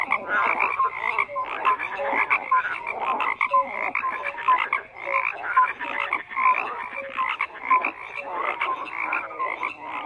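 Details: Frogs croaking together in a dense, continuous chorus: overlapping rasping croaks mixed with short whistled tonal notes recurring about once a second, forming a steady layered din with no other sounds.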